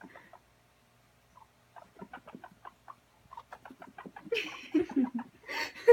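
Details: At playtime a guinea pig runs around, first a few faint squeaks, then a steady run of short chirping pulses, ending in louder rustling and squealing bursts.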